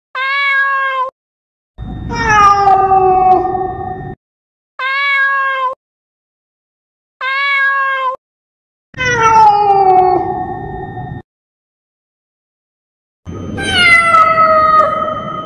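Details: Cat calls used to chase mice away: short, clear, level meows alternate with longer, lower, sliding and rougher yowling meows, six calls in about fifteen seconds with silent gaps between.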